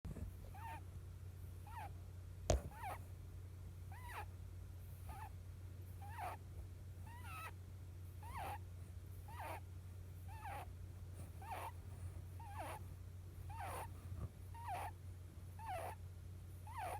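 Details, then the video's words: Pet rabbit snoring while asleep, a rare sound: short squeaky, bending chirps near the middle pitch range, repeated steadily about every 1.3 seconds over a constant low hum, with one sharp click early on. "うさぎの鳴き声 レア いびき"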